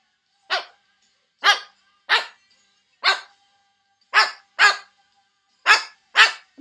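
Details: Neighbour's dog barking loudly in Georgia, eight short sharp barks at uneven spacing, some in quick pairs.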